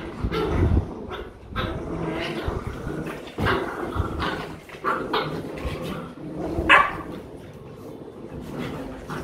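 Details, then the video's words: Rottweiler puppies kept as pets in Vietnam, playing and practising biting and fighting each other; scuffling growls and short yips come in bursts, with one sharp high yelp near the end, over rustling and a person's voice. "My Dog Puppy Playing"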